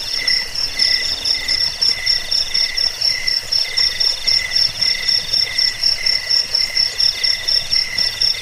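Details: Jangkik, the cricket, in a track used against rats, as a sleep aid and for songbird tutoring; crisp high chirps pulse about twice a second in regular bursts above a dense, unbroken insect ring.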